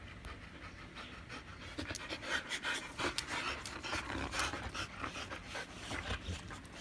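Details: Siberian huskies jostling for a treat stick, three ganging up on one to snatch it; close, noisy, breathy panting in quick uneven bursts, about 150 per minute, over a low background rumble.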